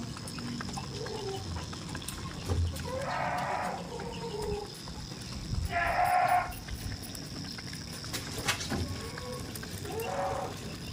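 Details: Tame goats on a farm give three harmonic, wavering bleats of about a second each, spaced several seconds apart, with quieter low calls between them and a steady background hum and rustling.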